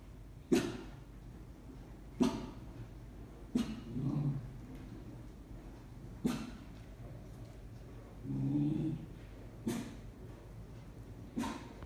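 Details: Pet dog indoors, reacting to something in a room corner that people cannot see: soft, muffled short woofs repeated about every one to one and a half seconds, seven in all, with low rumbling growls between them.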